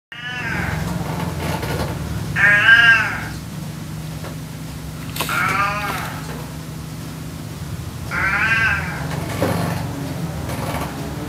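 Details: A house cat that, after a year and a half, still has not grasped how to use a cat door: four loud, drawn-out wavering meows, rising then falling, spaced about three seconds apart, over a steady low indoor hum.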